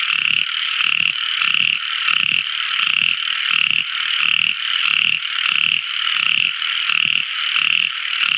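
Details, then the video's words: Frog song at night from a tiny frog: a steady series of short gravelly croaks, roughly every 0.7 seconds, over a sustained shrill ringing chorus tone. "Amazing Sweet Sound Tiny Frog Crying | Never Listening So Beautiful Frog Song! At Night Time!"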